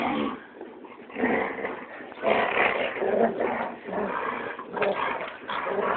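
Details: Dogs, among them a Labrador, roughhousing over a tug toy and keep-away game: rough, noisy growling with overlapping snarls and snorts, swelling and fading irregularly throughout.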